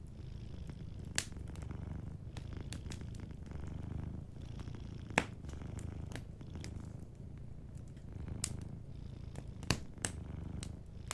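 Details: Cat purring in its sleep near a cozy fire. The low rumble pulses in rhythmic swells roughly every two seconds, following the breathing, with scattered crackles from the burning fireplace.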